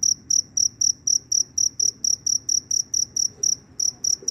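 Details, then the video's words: Cricket out after rain looking for a mate, giving very loud, evenly spaced high-pitched chirps about four per second, with one brief gap near the end. "Suara Jangkrik Berderik Super Keras, Setelah Hujan Turun Jangkrik berkeliaran mencari pasangan."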